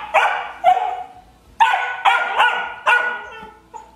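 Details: Twelve-week-old Ridgeback puppy Juno pestering Nixie for a rawhide, giving a quick run of strained, high yipping barks and whines in uneven clusters.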